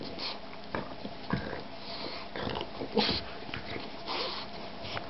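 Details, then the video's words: Boston bulldog and shar-pei mix puppy at play, making short breathy sniffs and snorts in scattered bursts, some sharp and some softer, separated by brief pauses. "boston bulldog and shar-pei mix puppy playing"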